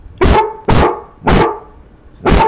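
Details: Domestic dog barking at no one: four loud, harsh barks spaced roughly every half second to second, each a broad burst with a strong low body, quiet gaps between.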